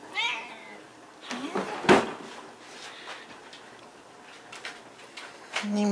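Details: Cat giving a short meow that falls in pitch at the start, followed by human speech, bumps and handling noise, ending with a steady low hum.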